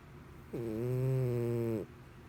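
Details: A single loud, steady, low harmonic snore lasting over a second from Mr Whiskers, a pet cat sleeping indoors, sounding much like a human snoring.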